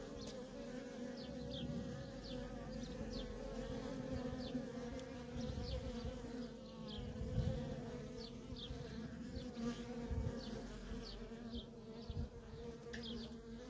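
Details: Feral honey bee colony with worker bees coming and going nonstop; the swarm hum stays steady and deep, with passing louder buzzes and faint high, rapid chirping in the distance.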